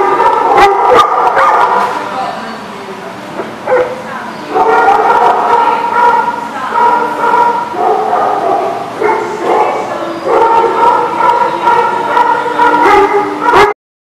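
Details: Dogs heard on 27 December 2019 giving drawn-out, tonal yips and whining barks in long overlapping runs, with a pause midway and sharp clicks at the start.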